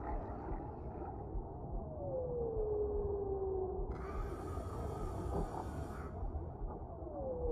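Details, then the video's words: Whale in a calm deep-sea relaxation ambience: a smooth moaning tone slides slowly downward over about two seconds, then another begins to fall near the end, over a constant low rumbling wash of water and a burst of airy hiss midway. "Suara Relaksasi Paus di Laut Dalam , Relaxing Sounds of Whales in the Deep Sea"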